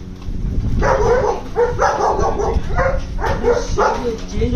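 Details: German Shepherds among a group give rough, clustered barks roughly every half second, some with a whining edge, over a constant low background rumble.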